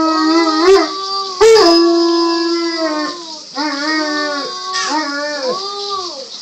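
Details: Dog howling alongside a 4-year-old boy: a series of sustained, quavering howls, several short rising-and-falling phrases, ending in a curved, dipping howl.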